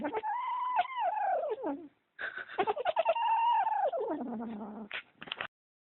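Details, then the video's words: Kitten guarding socks it is possessive over, voicing long, high wailing yowls that slide steadily downward, in two sustained bursts broken by a brief pause, ending in a lower drawn-out moan. "Kitten Making Weird Noise"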